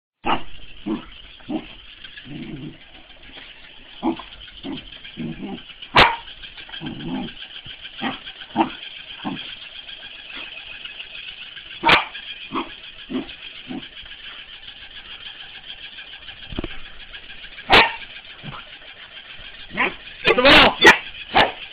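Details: A corgi barks in sharp, irregular bursts, some quick and clipped, others longer and rougher, while playing with a mechanical ball.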